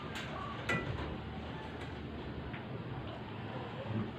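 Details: Low steady room hum with a few faint clinks and a short knock near the start, and no animal voice anywhere.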